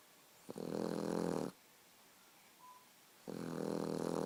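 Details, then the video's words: A Boxer puppy asleep indoors, snoring in long rasping breaths about a second each, with a harsh, broad rattle separated by quiet pauses of nearly two seconds. "The Boxer Puppy Snoring"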